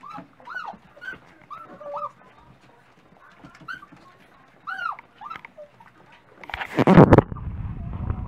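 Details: Dachshund puppies waiting at breakfast time give bursts of curved, rising-then-falling whines separated by short pauses, followed by a loud rushing clatter near the end.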